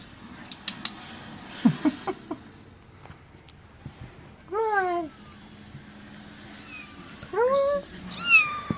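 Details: Kittens indoors meowing: two loud, drawn-out harmonic meows that fall in pitch at mid-clip, then a cluster of shorter rising-and-falling mews near the end, with soft knocks and clicks earlier in the room.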